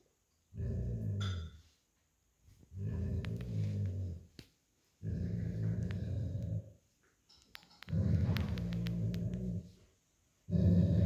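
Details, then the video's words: Growls from an old Golden Retriever tugging a plush toy with an American Akita puppy, signalling he wants the toy; five low, rough growls of one to two seconds each at fairly even intervals, with light rustling between them. "Lazy Old Golden Retriever Playing Tug of War With American Akita Puppy Over Plush Toy & Growling"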